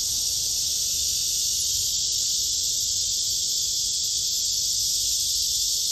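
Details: Black cicada, observed while comparing male and female: a dense, unbroken shrill drone holds at constant loudness for the whole stretch.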